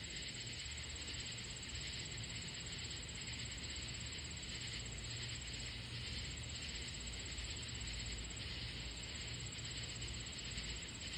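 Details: A steady night chorus of katydids, high and buzzy, on grass where three deer lie resting on 7/28/25, with a low rumbling hum beneath.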